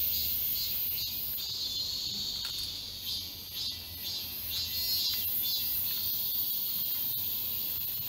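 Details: Cicadas chorusing in the Galsan Park forest, Mokdong, Seoul, in summer. A sizzling, high-pitched drone swells and ebbs about twice a second, briefly softening near three seconds, with scattered faint ticks.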